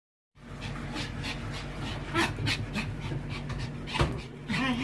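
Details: A male Pomeranian born June 2013 whimpers and yips in excited, demanding bursts as he waits in front of a dog birthday cake he has eaten before.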